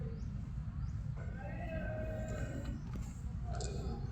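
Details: Stray cat that gave up hunting a bird once it saw food on offer, giving a drawn-out, steady, harmonic meow lasting over a second, with a short higher note near the end, over constant low rumbling background noise.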